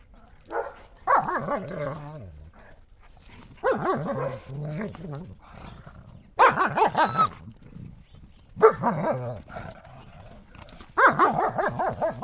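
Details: Two German Shepherds, Buffy and Willow, playing chase with a ball in the snow on a cold January day. Five loud, harmonic barking bursts, some drawn out and yelping, arrive every two to three seconds, with quieter gaps between them.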